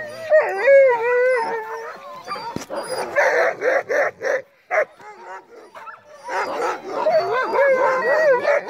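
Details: A sled team of crossbred husky mixes on a snowy night: a long, smooth wavering howl opens, followed by a string of rapid barks, a brief lull, then overlapping whining howls from several dogs.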